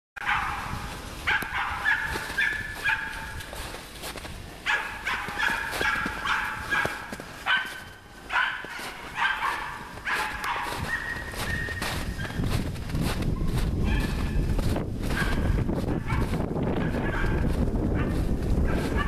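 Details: Nora, a dog working on wild boar, gives bursts of harsh, ringing barks in quick irregular runs through the first half, then fewer barks over a steady low rumble of background noise.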